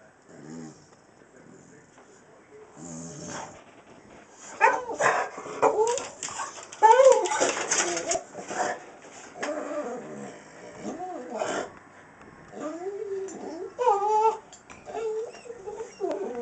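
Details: An American Staffordshire Terrier named Jayda, unsure what to do after spotting a cat outside, gives repeated wavering whines and whimpers, rising and falling in pitch and growing more insistent toward the end. A person talks to her throughout.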